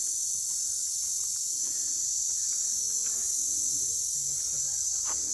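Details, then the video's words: Crickets chirping unseen along a cool, green forest footpath on the Rajgad trek in late November: a loud, continuous high-pitched 'kirr' drone fills the air throughout, with a person talking over it and scattered footsteps. "किती किर्र आवाज येतोय पण ते कुठेच दिसत नाहीयेत रातकिडे."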